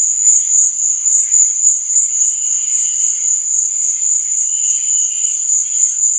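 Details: Night cricket chorus for sleep and relaxation, a continuous piercing high trill throbbing rapidly in volume, overlaid by faint, lower, irregular chirping notes; nothing else clearly audible.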